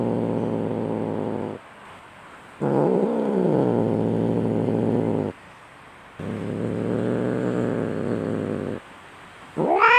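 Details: Aggressive domestic cat fighting, rumbling harsh growls in long bursts broken by short silences, one bout bending in pitch, ending with the onset of a rising yowl.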